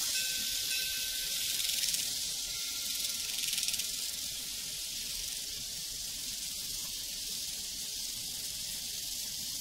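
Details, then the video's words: Crickets on a prairie form a dense, high, shimmering chorus that runs steadily throughout, while a soft sustained cowbell tone rings faintly near the start. "Sounds from a Prairie Crickets and Cowbells"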